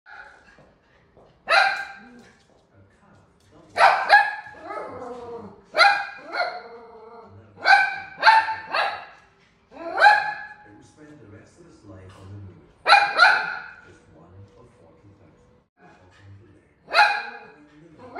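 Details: An angry toy poodle barks at a caribou on TV with sharp, high yapping barks in short bursts, some doubled, separated by pauses.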